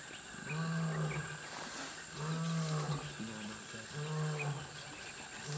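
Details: Mapogo lions roaring in the bush-veld, loud enough to carry about 8 kilometres; deep, low moaning grunts with rich overtones come in a series roughly every second and a half over a steady high background hiss.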